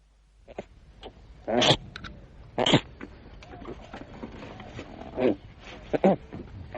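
Rough, snorting koala calls come in abrupt bursts, each a coarse grunt with a gravelly edge. Softer breathy rasps fill the gaps between the louder outbursts.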